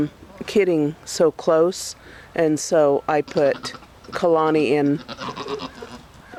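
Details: Nigerian Dwarf goats at breeding time, in the rut season that begins around August. Loud wavering bleats come in short bursts, several in quick succession with brief pauses between them, and a person talks over them.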